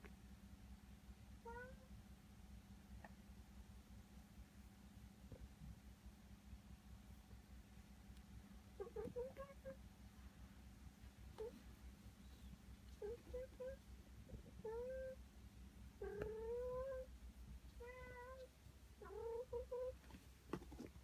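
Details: Domestic cats indoors: a rescued adult cat intently watching over a rescued kitten. About eight short, rising, harmonic meows come in loose clusters through the second half, over a steady low hum.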